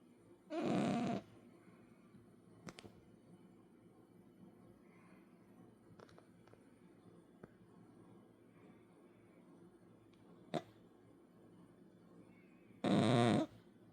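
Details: A 10-kilogram cat snoring indoors: two loud, rasping snores with a low buzzy tone, one near the start and one near the end, about twelve seconds apart, separated by quiet breathing and faint small room noises.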